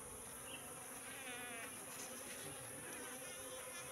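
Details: Steady hum of a wild Apis cerana colony that has moved into a three-month-old bee trap box. The buzzing holds level the whole time, with faint higher wavering tones near the middle.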